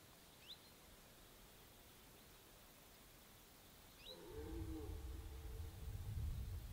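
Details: Red deer roaring, a deep groaning bellow rising in strength from about four seconds until the end, low and rough with faint harmonic bands, preceded by two brief high bird chirps over quiet background hiss.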